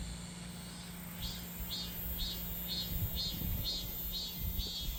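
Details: Cicada singing in summer: a continuous shrill buzz, joined after a second by pulsing throbs repeated roughly every half second, with a steady low hum beneath.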